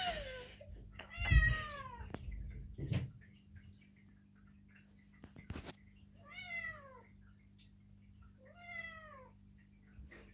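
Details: Eight-month-old Perdoll kitten meowing on the way to the vet for neutering: three drawn-out, falling, harmonic-rich meows spaced a few seconds apart, the first short and the later two longer, with a steady low hum and brief knocks between.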